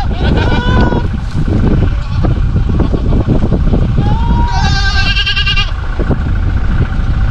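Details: Boer goats of South African breeding at a farm in northeastern Brazil; a short bleat opens, then a longer quavering bleat rises and trembles midway, set against steady low rumble and faint voices.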